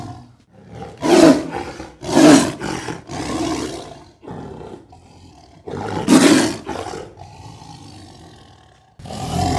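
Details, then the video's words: Sumatran tiger roaring close up, two meters from the recorder with basic equipment: three harsh, powerful roars about a second apart, a fainter rumble, a pause, then another loud roar and the start of one more. "sumatran tiger roar"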